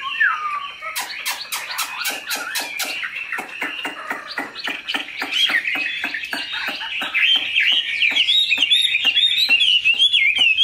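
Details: Chinese hwamei kept tame in a cage, large and strong-voiced, singing a continuous varied warble over a steady series of sharp clicking taps, and rising to higher, faster trills near the end.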